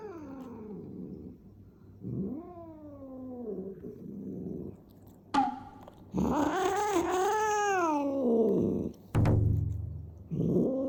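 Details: Fighting cat caterwauling: rising and falling moaning howls, a loud warbling yowl with wavering pitch, a low growl and a sharp hiss-like burst between cries, recorded indoors.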